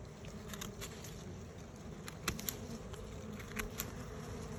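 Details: Bees from two colonies found close together, disturbed as their nests are cut out, give a low, steady droning hum. Sharp clicks and taps of cutting and handling come throughout, with a faint high whine above.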